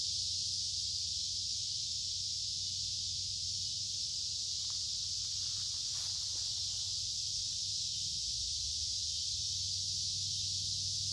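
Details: Noisy cicadas sing in creekside woods during warm, humid midsummer weather. They make a steady, piercing, hiss-like drone without pauses, with a brief rustle or footstep near the middle and a low rumble below.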